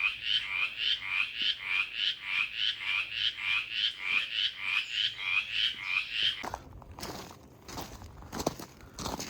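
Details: Mountain Chorus Frog in southwestern Pennsylvania wetlands, heard late in the season around Memorial Day weekend: a steady run of short raspy, buzzy pulses, about three per second for six seconds, then loud crunching and rustling handling noise.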